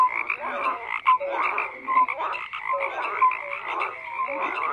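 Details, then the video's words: Overlapping frog croaks form a steady chorus, with raspy calls and small bright tonal blips recurring about once a second, a few louder bursts standing out. "FROGS CROAKING"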